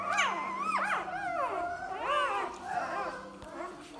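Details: Litter of ten 3-day-old Belgian Malinois puppies, five males and five females, born 16 June 2018, squealing and whimpering with overlapping high, wavering, rising-and-falling cries indoors, a person speaking softly.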